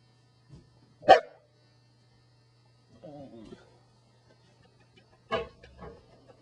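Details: Corgi dog giving two sharp, loud barks about four seconds apart, with a softer low grumbling vocal burst between them and a steady low electrical hum underneath.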